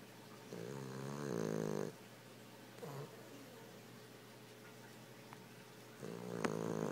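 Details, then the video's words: A pet Boston Terrier asleep with its eyes open, snoring just a little indoors: two rasping, harmonic snores of about one and a half seconds and one second, separated by soft breathing and a steady faint hum. "my Boston Terrier, Kimbo.. snoring"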